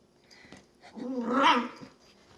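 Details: A female long-haired dachshund puppy playing alone in her bed gives a rising, wavering whine-growl that swells and fades within a second, one of her funny playtime noises.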